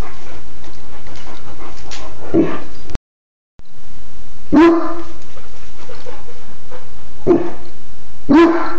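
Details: Domestic dog barking on a phone recording: a few sharp, loud barks, one after a brief dropout of sound, then two more in quick succession near the end, over steady low background noise.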